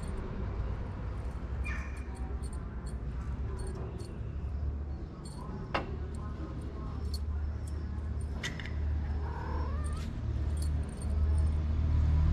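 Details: Stray kittens with their mother cat, fed daily outdoors, waiting to eat and play; a short rising meow sounds near the end over steady low rumbling street noise, with faint clicks and rustles.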